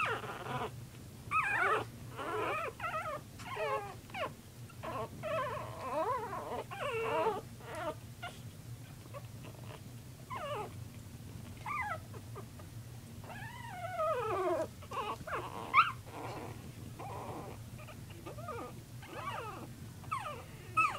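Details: Playing puppies indoors give a steady run of high, wavering whines and short yelps, many sliding up then down, overlapping one another over a low constant hum.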